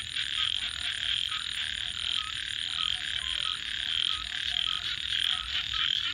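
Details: At night, a thick chorus of frogs keeps up a continuous high trilling buzz, with short repeated whistle-like notes standing out from the mass and a faint constant whine above.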